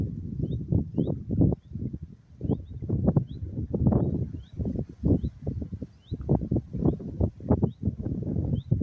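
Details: Lost lambs calling for their mother for some time before recognising her call and running to her; a busy run of low, wavering bleats, with short high bird chirps dotted through.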